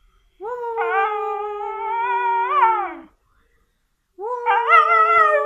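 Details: Siberian Husky howling indoors: a sustained, slightly wavering howl of nearly three seconds ending in a short upward lilt and fall, then after a pause a new rising howl begins.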